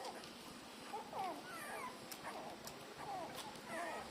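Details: Newborn puppies, three days old, suckling at their mother's nipples; several high squeaks and thin whines, some sliding downward, come every second or so above faint low background noise.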